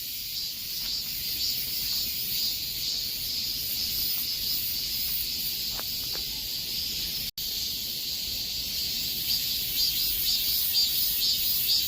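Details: Cicadas singing in the midsummer heat: a dense, steady, high-pitched shrill buzz with a faint rhythmic throb. The sound cuts out for an instant partway through, then resumes.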